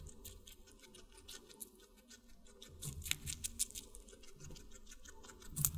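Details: Watermelon being chewed by a guinea pig: a steady patter of crisp, moist chewing clicks that grows denser and louder after the third second, with a sharp bite at the very end.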